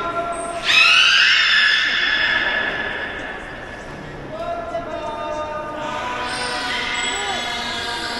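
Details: Beluga held at Port of Nagoya Public Aquarium, producing a loud, bright squealing call with rich overtones that starts abruptly, holds and slowly fades, followed by a softer rising whistle and a second, buzzier squeal in an echoing hall.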